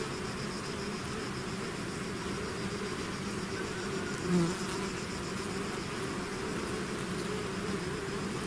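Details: A swarm of bees leaving the hive: constant thick humming from countless wings, low droning tones with one brief louder bee passing close midway.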